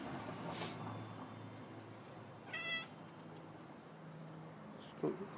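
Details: Domestic cat in a yard meowing for no apparent reason while looking up at wires and trying to jump: one short, harmonic-rich meow mid-clip, with a few faint clicks and light background noise.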